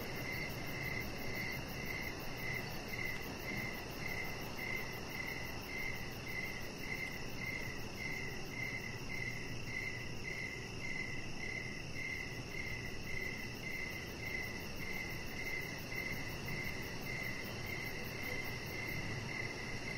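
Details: Evening crickets near a deck where a chihuahua puppy lies, giving a regular train of short high chirps, nearly two per second, over a continuous layer of insect hiss and low rumble.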